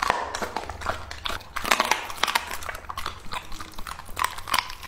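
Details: A male English-type Labrador named Lucky, two and a half years old, chews raw meat in a small room. Quick crunching bites follow one another closely, with a few louder crisp snaps near the start and end.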